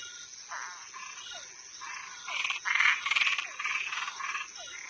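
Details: Toads and treefrogs at night give loud, raspy pulsed croaks that swell and peak midway, with quick falling chirps between them over a continuous high-pitched insect buzz.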